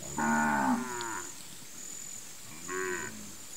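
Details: A Gir dairy cow from a Brazilian milk herd kept for hand milking gives a moo of about one second, falling slightly at the end, then a shorter second moo, over a quiet background with a high hum.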